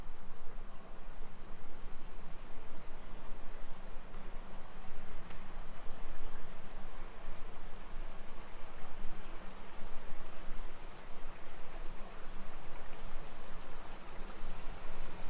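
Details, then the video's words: Summer cicadas singing at 2 PM on 28 July 2021 in a suburban Nisshin neighbourhood near Nagoya, Aichi, Japan: a steady, dense high buzzing band that steps up in pitch halfway through, over faint low street rumble. "Summer Cicadas Sounds"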